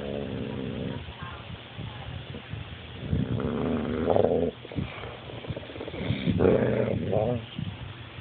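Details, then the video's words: Beanpole, a coonhound, grows protective of his steak bone when someone comes too close, giving a low, rumbling, sustained growl that rises and falls in bursts, with a human voice talking over parts of it. "Beanpole the Coon Hound protecting his bone"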